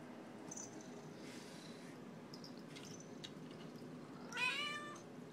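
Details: Pearl, a talkative Siamese mix house cat, is hungry at dinnertime and gives one loud, drawn-out meow that rises then falls near the end. Before it comes a quiet indoor stretch with a person asking "What?" and then "Yeah?"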